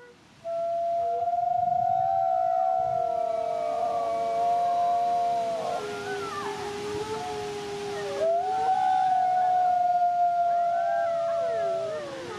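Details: Two captive-born sibling Canadian/Rocky Mountain gray wolves at a conservation center in South Salem, New York, howl a duet in long, sustained, overlapping tones that slide up and down.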